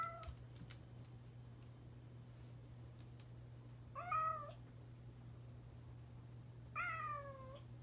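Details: Domestic cat meowing more often after its companion escaped: a short meow at the start, then two longer, falling, nasal meows about three seconds apart, with a constant low electrical hum beneath.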